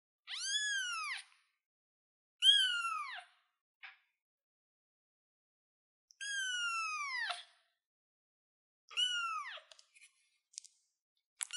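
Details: Kitten on a chair giving four high, thin meows, each sliding downward in pitch, spaced about two to three seconds apart, with a few brief faint squeaks between them in an otherwise quiet room.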